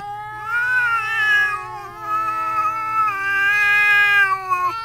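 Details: Domestic cats Harold and El Rotten trading agitated caterwauls through a screen door at a visiting cat, long drawn-out wailing yowls with wavering pitch that swell and sag, the harmonics bending as the howl continues.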